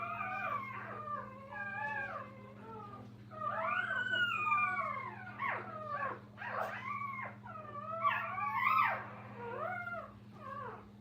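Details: Several young puppies with their mother at a kennel keep up high, wavering whines and yelps, each slurring up then down, in overlapping bursts every few seconds over a steady low electrical hum.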